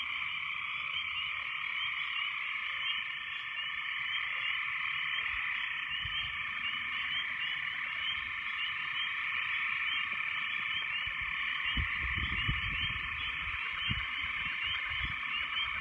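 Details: Frogs in a very loud chorus after heavy rains: many overlapping high trills and croaks form a constant droning wash, with a few low thumps or knocks in the background near the end.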